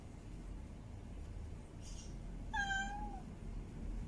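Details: Mate-calling female cat in heat: one short, bending meow after a brief faint rustle, over a steady low rumble.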